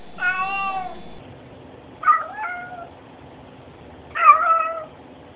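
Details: Cat meowing hello three times in a row, roughly two seconds apart: a flat, sustained first mew, then two shorter, bent meows that rise and fall, in a quiet room.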